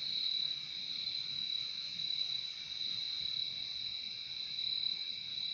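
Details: A chorus of crickets producing a bright, constant high trill that barely varies in volume, offered as peaceful nature sound, with no other animals or noises clearly heard.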